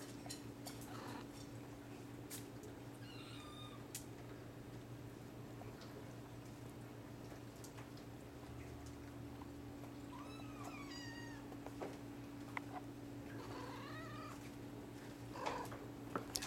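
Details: Sphynx and Bambino kittens in a cattery litter, some awake, some sleeping; several thin, high mews scattered through, a cluster of short wavering cries near the middle and end, with a steady low hum and small rustles.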